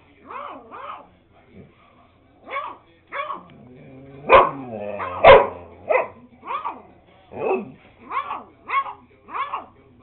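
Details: Beagle puppy at eight weeks old, barking in short high yappy bursts, about a dozen yips spread over ten seconds with uneven gaps, two louder sharper barks near the middle.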